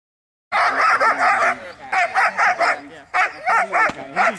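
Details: German Shepherd dog in Schutzhund hold-and-bark training, barking in quick bursts of three or four loud harsh barks with short pauses between, a handler's voice faintly underneath.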